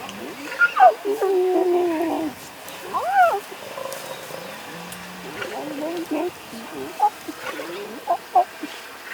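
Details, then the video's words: Lion cubs, two small and two tiny, resting beside their mothers and feeding, Masai Mara, 2.11.2022, Sony FX30 recording. Wavering, rising-and-falling whiny calls early on, followed by softer scattered squeaks and brief chirpy notes toward the end. "Two small and two tiny lion cubs are resting with their moms and eating. Original sounds."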